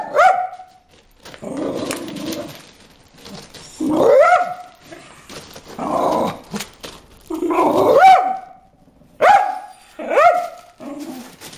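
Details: A dog barking at fish in a water hole: loud, harmonic barks with a rising onset, each followed by lower growly grumbles, repeated irregularly about every one to two seconds.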